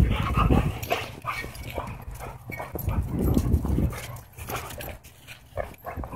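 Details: Dogs at a dog park, two German Shepherds with Bodhi, a German Shorthaired Pointer, romping together; harsh growling grunts come in clusters around the first and third seconds, then quieter panting and scuffling under wind.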